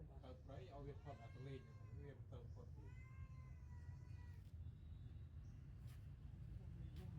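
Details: Newborn kittens nursing from their mother cat give a run of thin, high, harmonic mews, several in quick succession over the first four seconds, then fall quiet; low rumbling background noise throughout.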